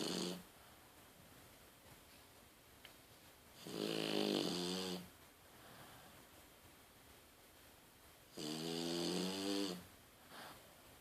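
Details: A sleeping female French Bulldog named Daiwa, eyes left open, lets out two long, throaty snores about five seconds apart. Each rasping inhalation lasts over a second and carries a stack of buzzing tones, with hushed breathing between them indoors.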